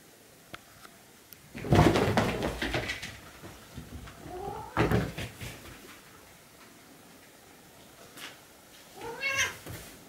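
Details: Two Siamese cats play fighting at midnight indoors; the white one shrieks when surprised. A loud thumping scuffle, then short rising squeals and a final harmonic yowl near the end.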